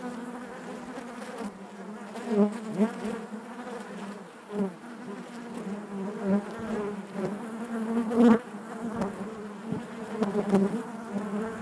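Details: Massed buzzing of honey bees within the hive, a thick, even drone with harmonics stacked above it, punctuated by short louder swells from nearby bees, the strongest around eight seconds in.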